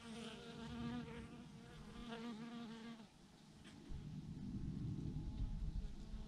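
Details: Bees by the thousands hanging in a big clump on a branch: a clear droning buzz for about three seconds, then a deep rumbling wind-like noise takes over and the hum sinks underneath.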